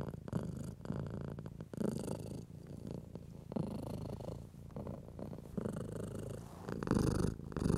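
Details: Domestic cat purring softly under stroking, for calming anxious house cats: a faint, uneven low purr beneath rustling and brushing noises of hand on fur, louder near the end.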